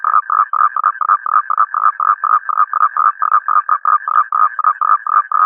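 Toads call in quick, evenly paced bursts, each a short, reedy croak. The pulses run together into a steady, rattling stream, with several voices overlapping at times.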